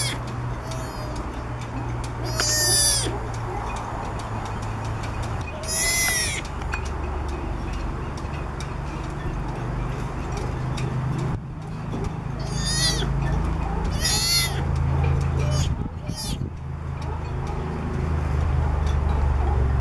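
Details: Three-week-old southern sea otter pup, born around mid-January, crying for its mother on the back of a boat in Monterey, California: five high, harmonic squealing cries spaced a few seconds apart over a steady low engine-like rumble.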